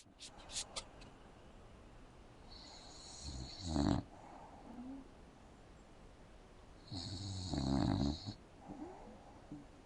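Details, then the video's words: English bulldog asleep indoors on a couch with its mouth open, giving two rough, rasping snores several seconds apart, each a drawn-out buzzy inhalation with a low rumble beneath and quiet room air between. "Adorable bulldogs snores with its mouth open"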